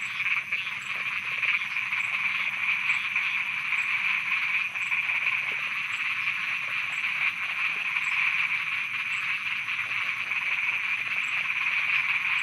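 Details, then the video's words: Thai frogs calling at night as a steady, loud chorus, the many croaking voices blending into an unbroken high buzzing drone with faint regular ticks throughout. "Thailand Night Frogs Soundscape"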